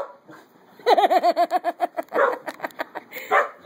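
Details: Adoptable puppies playing together and competing over a tennis ball: a quick burst of about a dozen high, arching yips in just over a second, followed by rougher, noisier barks and a short squealing cry at the end.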